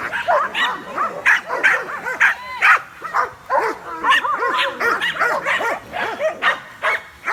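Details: Several curious dogs bark excitedly while watching a drone fly overhead. Dense, overlapping sharp barks and yips tumble over one another in irregular bursts, roughly one each second, with no pause throughout.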